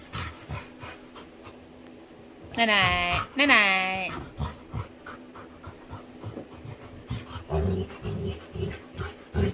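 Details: Playful female Labrador retriever indoors with her owner: two drawn-out whining vocalisations with stacked harmonics near the three-second mark, then soft rhythmic panting and snuffling.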